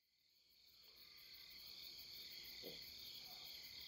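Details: Quiet riverside chorus of grass insects at the Deudeul River in Nampyeong, late September: several stacked, even, high trilling tones that swell gently in level, with one brief low sound in the middle.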